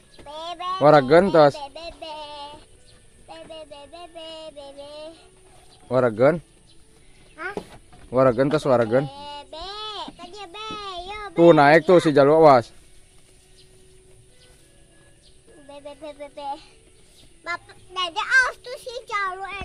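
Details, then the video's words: Sheep and lamb exchanging bleats: loud, tremulous cries in irregular bursts about every couple of seconds, some long and wavering, some short, with quieter gaps of faint tones between them and softer calls toward the end. "Marab Domba Jeng Budak"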